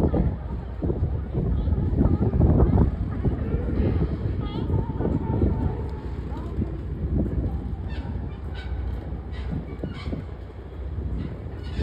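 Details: Sea lions at close range at Pier 39 in San Francisco give rough, honking barks in rapid, irregular bursts. Human voices and crowd noise run underneath.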